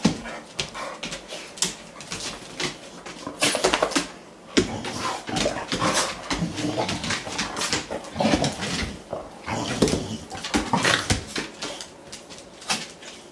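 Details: Indoor play fight between a Boxer and a Morkie: continuous snarling growls and whimpering mixed with sharp clicks, thuds and rustles of the two pet dogs tussling.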